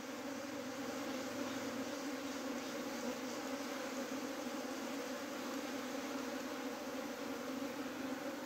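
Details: Bees of a colony that tried to abscond, held back by a queen gate put in at night on the 25th. A thick, continuous hum, even and unbroken throughout, with strong low droning bands.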